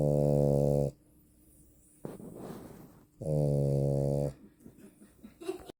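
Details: A female French Bulldog snores loudly, with deep droning inhales separated by softer, breathy exhales.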